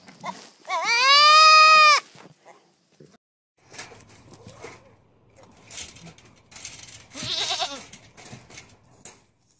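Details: A goat in a comic goat compilation gives one loud, long, steady bleat of more than a second, then rustling and fainter wavering bleats follow.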